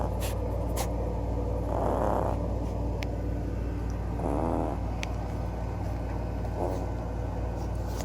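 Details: Small dog Klawei snores loudly in rhythmic, airy rasps, the third fainter, spaced about two and a half seconds apart against a droning low background hum and occasional sharp ticks.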